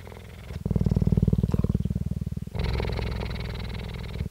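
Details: Female cheetah Jade, captive at the Dell Cheetah Centre in Parys, South Africa, recorded on 5 May 2019, purring closely: a low, rapidly pulsed rumble that switches after about two seconds to a brighter, buzzier phase with a faint voice at the start.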